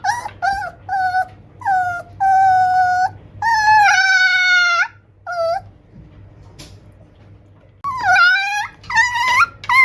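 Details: Young male tiny toy poodle, born March 2021, voicing its wishes to its owner: a run of high, tonal whines and drawn-out howl-like cries, some slurring downward, separated by short pauses, with faint background hum.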